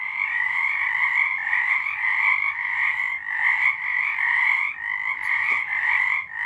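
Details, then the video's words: In March 2023, frogs sing at night in an unbroken, buzzy trilling chorus, bright and even in tone, with a faint click near the fifth second. "Frogs singing"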